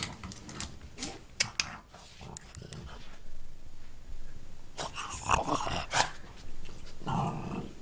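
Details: A French Bulldog killing a mouse indoors, with rough, noisy growls and scuffling in bursts, a louder stretch near the end, and a person's voice nearby.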